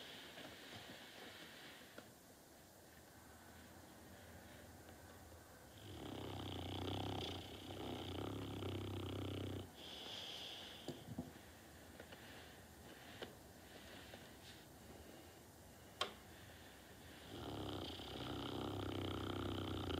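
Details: Sleeping dog Norton snores in drawn-out rasping breaths, a long rumbling snore from about six to ten seconds and another near the end, quieter breathing and small clicks between them.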